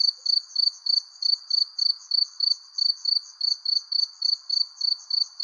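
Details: Persimmon-tree crickets at sunset give a continuous train of sharp, high chirps, roughly three per second, evenly spaced over a faint low background buzz.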